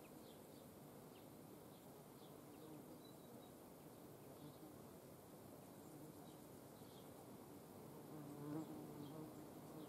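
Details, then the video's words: Hornets in front of the camera during hand feeding in the Eifel, giving a steady low droning wing buzz with faint harmonic hum lines that swell slightly near the end. "Hornissen vor der Kamera. Handfütterung"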